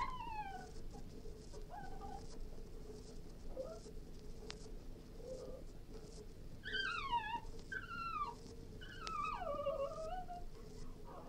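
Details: Cairn Terrier whining softly against a steady background hiss: thin, wavering whimpers, with a few sliding, descending whines clustered toward the end.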